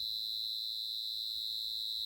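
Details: A single cricket up close gives a shrill, steady, continuous trill without pauses, with only faint low murmur behind it.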